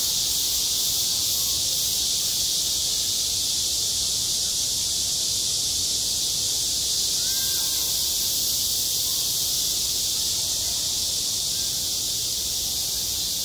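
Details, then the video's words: Playground cicadas in the heat of summer keep up a long, unvarying shrill buzz, with a faint pulsing at the start and faint short tonal notes in the middle. "한 여름 운동장에서 매미가 울고 있다 - 여름의 소리, 학교 종소리, 매미 울음소리"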